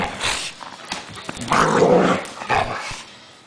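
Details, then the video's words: Gypsy, a pet dog angry at a blanket, gives rough snarling growls that swell in the middle and trail off, mixed with scuffling noise inside a room. "THE ANGRY BLANKET"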